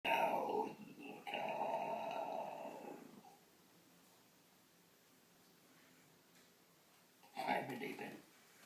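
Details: A 3-month-old pug puppy gives drawn-out, yelping barks at a person making strange noises, then falls quiet.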